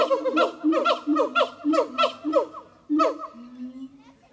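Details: At Zoo de La Fleche, siamang gibbons Harry and Mila sing on a hot morning, 6 August 2018. Laugh-like barking bursts repeat roughly every half second over low booms, ending in a lone drawn-out low note.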